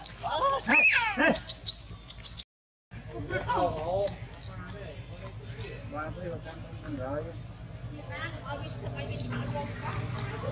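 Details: Little monkey Janna, super angry, cries out to warn monkey Angel: shrill, harsh harmonic screeches with quick rising-and-falling sweeps in the opening second, followed by softer chattering cries, with people talking throughout.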